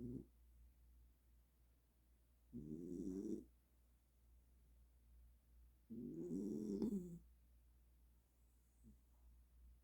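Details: Welsh Corgi snoring in deep sleep after burning off energy: three drawn-out, rasping snores, each about a second long and spaced roughly three seconds apart, with quiet breathing between them.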